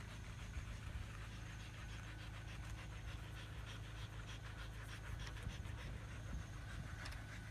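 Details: Quick panting of Siberian Huskies out running in a field for exercise, soft breathy puffs in rapid succession, partly masked by a continuous low rumble.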